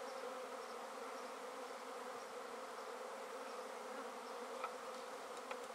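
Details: Many honey bees of a swarm collected into a basket, with the queen's presence uncertain, make a thick, constant buzzing hum; a couple of small knocks sound toward the end.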